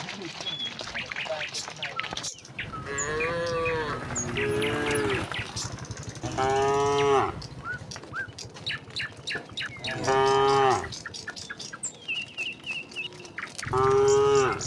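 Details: Calm herd of tame cattle on the way from the next village to the pen, mooing repeatedly: a wavering low, then several shorter moos spaced a few seconds apart, over scattered bird chirps.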